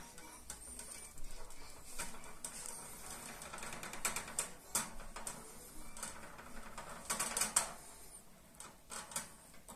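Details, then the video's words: Pet hamster in a cage sharpening its teeth by gnawing on the cage bars: rapid, rattling, ratchet-like clicks and scrapes in uneven bursts, with a few louder sharp clacks near the middle and end. "Хомяк точит зубы, хомяк грызет клетку"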